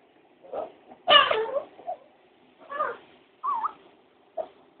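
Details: Jealous house dog Foxy, left without a bone while the puppy Opus has one, complains in wavering, meow-like whines and groans, one loud bent wail then shorter uneven cries, indoors.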